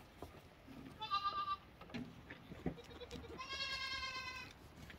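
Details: Two lamb bleats: a short quavering one, then a longer, steadier nasal bleat, with soft low knocks and shuffling sounds between them.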